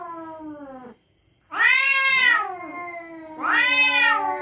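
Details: Night-time threat yowls between territorial cats: a falling wail cut off, a brief hush, then two loud, harsh, bending cries about two seconds apart.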